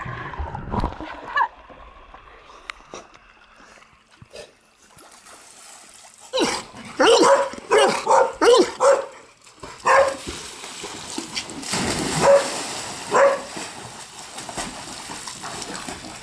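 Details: Dogs at play in a pool at a home boarding kennel in Granada Hills, California, a group of Labradors plus a husky-akita mix. Loud, sharp barks burst out in quick runs after a quieter start, with splashing water and a person calling between them.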